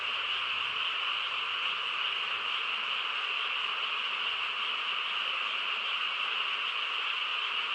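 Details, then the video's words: Frogs chorusing on a quiet countryside night: a dense, unbroken wall of calls with steady bright bands high and in the mid range, holding even throughout without pauses or other clear sounds. "고요한 시골 밤에 개구리 합창 소리"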